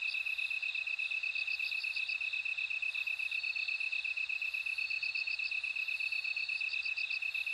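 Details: Bell crickets ring in short high pulse groups, spaced a second or more apart, above a constant rhythmic chirping band from other insects. The nighttime-style chorus runs without pause.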